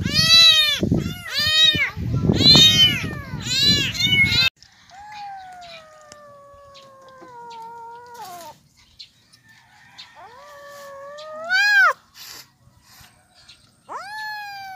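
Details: Abandoned, starving kittens found by the roadside crying loudly from hunger: several overlapping high meows at first, then long, drawn-out single cries, one ending in a sharp rising wail, with pauses between.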